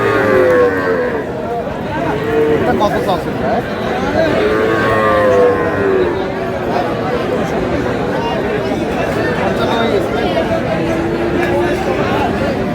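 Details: Sahiwal bull calves at a cattle market, being bought by a farmer from Noakhali, 21 April: repeated drawn-out moos, several overlapping, amid constant crowd chatter and bargaining voices.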